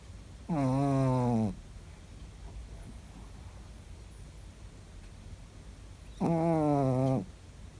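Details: A sleeping Chihuahua named Ritchik snores in a quiet room, giving two droning, harmonic snores about a second long and roughly five seconds apart, each gently falling in pitch, with near silence in the gap.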